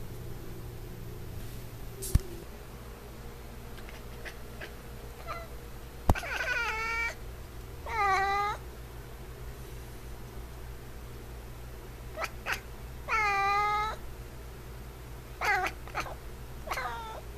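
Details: Niko, a pet F6 Savannah cat, meows indoors in a small room: several drawn-out, harmonic meows that rise then fall, spaced a few seconds apart, with soft human speech and a steady low hum behind.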